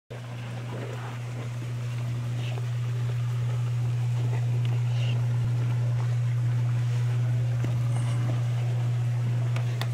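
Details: A constant low engine drone, like a motorboat, with faint scattered knocks and murmurs in the background and no animal voices.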